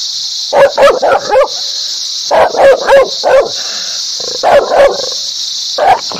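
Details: Dog barking in an angry, aggressive manner: quick bursts of three to five loud, sharp barks with pauses between bursts, over a steady high hiss.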